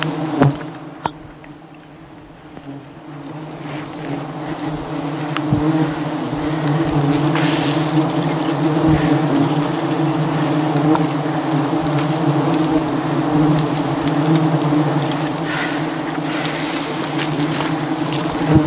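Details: Thousands of angry wild bees swarm around a honey hunter climbing above the jungle to harvest honey; a thick, unbroken droning buzz rises after a quieter start and holds loud and even, with occasional sharp taps.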